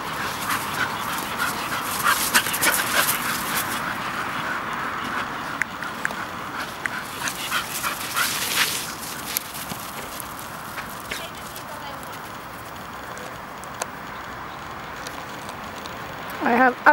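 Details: A 6-month-old male Manchester Terrier gives rapid whines, yips and rough vocal bursts, with a sharp burst near the end, while playing with a 2-year-old female Bull Terrier.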